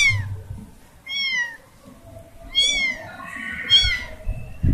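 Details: Young kitten separated from her family gives repeated plaintive meows, sharp high cries with falling tails, one running into a longer drawn-out wail.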